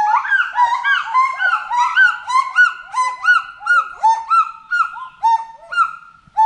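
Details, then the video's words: Monkey in a forest giving a run of loud looping hoots, each note swooping up then falling, repeated about twice a second and gradually spacing out toward the end. "FOREST MONKEY VOICE"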